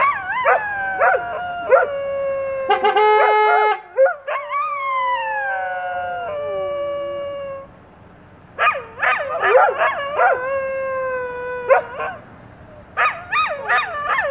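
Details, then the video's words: English Setters in chorus: layered howls sliding downward over several seconds, a steady harmonic tone in the middle, then rapid rounds of yipping, warbling cries repeated in quick bursts. "English Setters sing the Song of Their People"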